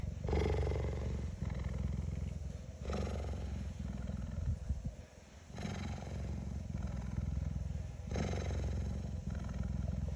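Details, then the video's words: A female cheetah, lying down on a hot day, purrs loudly, a deep steady rumble swelling with each breath about every two and a half seconds. "The cheetah purrs very loudly😍"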